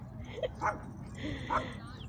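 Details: Dog at a dog park giving three short, sharp barks, two close together and a third after a pause, over a low background murmur with a faint steady tone.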